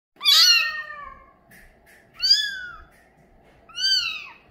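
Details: Male mink Bengal kitten with a light coat meowing indoors: three high, arched mews, the first longer and falling, with quiet pauses between and a faint steady hum beneath.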